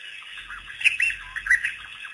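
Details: A pack of African wild dogs, released by researchers on April 5, 2008, making their first visit to Pete's Pond waterhole; bright, bird-like squeaky chirps in short clusters over a faint low background rumble.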